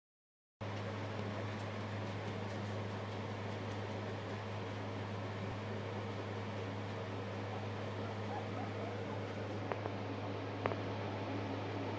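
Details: Steady fan or air-conditioning rumble fills the room, broken only by two faint clicks, and no animal voice.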